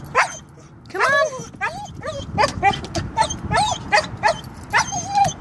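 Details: Siberian husky Klaus, refusing to leap a foot down from a car to go to the dog park, gives a run of short, wavering whiny yips and talky whines, one after another, while a person coaxes him.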